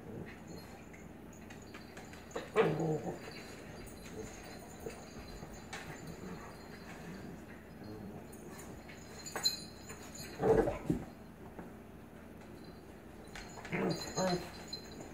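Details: A blue Pit Bully puppy and an adult Staffordshire Pitbull Terrier, the puppy "dominating" the grown dog. Three brief bursts of yipping and whimpering, spaced several seconds apart over a low, steady background hum.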